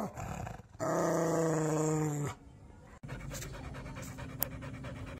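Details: Angry dog producing one sustained, tonal, low growl of about a second and a half, followed by quieter background noise.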